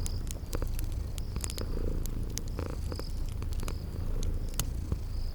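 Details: Sleeping kitties purring in a cozy fireplace and spring garden ambience: a deep, steady rumbling purr fills the low end while sharp crackles of fire snap throughout and short high cricket-like chirps repeat in the background.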